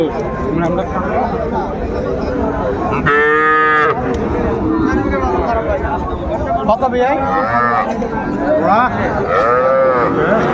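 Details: At a crowded cattle market in Mymensingh, Bangladesh, with young bulls and heifer calves for sale on 14 January 2025, one loud, rich moo rises above haggling voices, followed by shorter, arching calls near the end.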